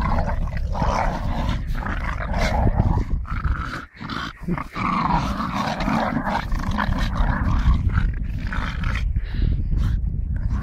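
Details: Playing with a tyre, a Staffordshire bull terrier growls deep and steadily, a dense low rumble that dips once near the fourth second before resuming.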